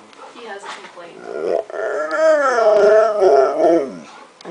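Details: Chai, a male husky, yodeling his joy at Christmas: after short grumbling sounds, a long wavering howl rises and falls in smooth warbles for about two seconds, with a person speaking briefly at the start and end.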